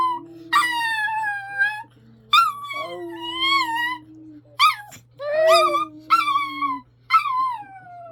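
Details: Pet dog indoors singing along with its owner: a series of drawn-out, wavering howls, some rising then gliding down, broken by short pauses, with a lower human voice sustaining notes beneath.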